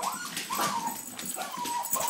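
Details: Excited terriers whimpering in a run of high, whining cries that bend up and down, several overlapping whines in about two seconds, with faint human voices around them.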